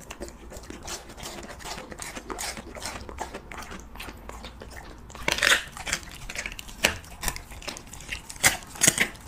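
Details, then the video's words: Siberian Husky eating cheese meat for an ASMR mukbang: soft, light clicking for the first five seconds, then louder, crisp crunching bites in uneven bursts, recorded close up in a quiet indoor room. "HUSKY REVIEWING CHEESE MEAT"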